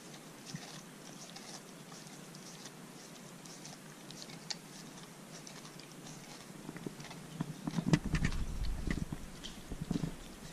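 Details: Corgi eating a dog-safe homemade popsicle on a hot day; faint rapid licking clicks give way to louder crunching, chewing and low thumping handling noise in the last few seconds.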